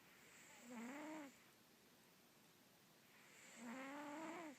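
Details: Russian Blue cat. Two drawn-out snores come from a sleeping Russian Blue cat, each a nasal, slightly rising whistle over a breathy hiss. The breaths repeat roughly every three seconds in a quiet room.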